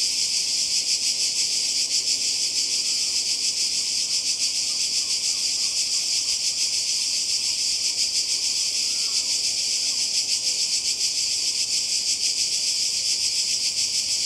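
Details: Seaside cicadas in Croatia, summer holiday 2020, keep up a steady sizzling high buzz with a rapid flutter, while faint brief chirping notes appear softly underneath around the middle.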